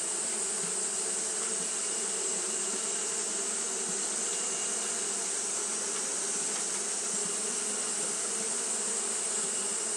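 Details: Continuous fanning by Japanese honey bees on a hot day gives a dense, even low buzz with a steady bright hiss and a high, unchanging whine.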